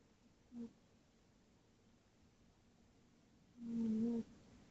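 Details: Sleeping tabby cat Tootsie snores indoors: a brief faint low snort, a pause of about three seconds, then a longer, louder droning snore lasting about half a second, steady in pitch.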